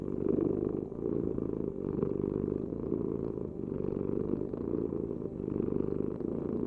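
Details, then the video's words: Close, even purring of a cat, a deep grainy rumble with gentle surges at each breath and little else audible. "Heal with the ultimate cat purring vibration"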